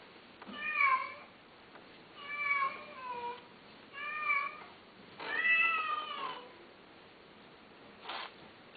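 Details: Domestic cat meowing indoors, four drawn-out harmonic meows, each about one second long, with rising then falling pitch and roughly a one-second pause between them, followed by a short breathy sound near the end; quiet background.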